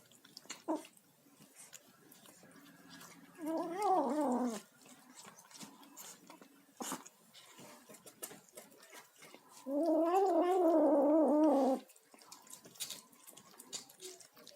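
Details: Kitten making noises as it eats: two wavering, warbling moans, one short around four seconds in and a longer one near ten seconds, with chewing clicks and soft rustling between them.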